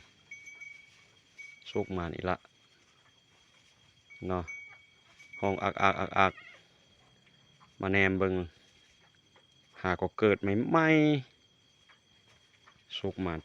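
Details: Newborn goat kids just born around the pen, bleating in short harmonic bursts repeated every couple of seconds, some wavering and quavering, with a man talking between calls outdoors.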